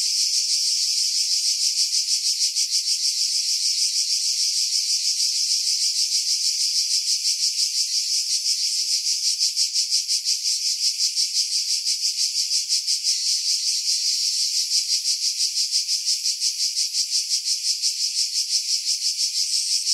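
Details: Pine-dwelling cicadas at Pefkos Bay, Skiros, Greece, recorded in July 2018 about 50 m above the sea; an unbroken shrill buzzing chorus with fast regular pulsing throughout, low sounds filtered away.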